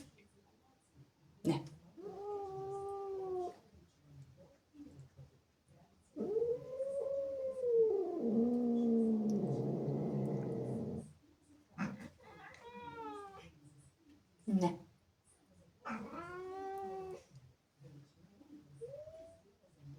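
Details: Angry domestic cat, a female jealous of playful kittens that came into the house, yowling indoors with long harmonic wails: short rising-falling howls, one sustained growling moan of several seconds, then more arched yowls.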